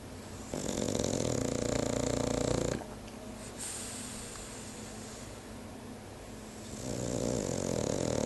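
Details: French bulldog snoring: rough, rasping breaths in a quick uneven rhythm, louder stretches at the start and end with a quieter, softer breathing passage in the middle, indoors.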